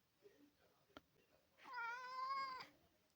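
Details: Male Maine Coon, a large indoor house cat, gives one long drawn-out meow of about a second, steady and slightly wavering, after a soft click and quiet room noise.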